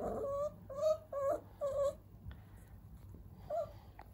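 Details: Puppy named Mafura-kun, described as lively yet gentle, filmed on March 30, giving a run of high, tonal whines, about five short nasal whimpers in two seconds, then a pause and one more near the end, over a low steady hum.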